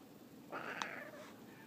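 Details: A house cat refusing to go upstairs answers back with a single nasal meow lasting under a second, flat then tailing off, plus a sharp click midway and quiet room noise around it.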